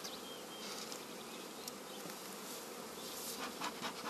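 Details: Swarming honey bees, to be united with another colony in the evening, make a continuous, hissy, mid-pitched buzz with slight pulsing and occasional faint clicks over about four seconds.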